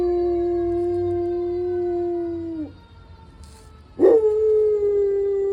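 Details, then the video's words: Domestic dog in San Diego joining fire engine sirens with a sustained, even howl lasting over two seconds that drops off at the end, a brief quiet gap, then a sharp rising start into a second long held howl. "Dog Howls alongside San Diego Fire Engine - Truck"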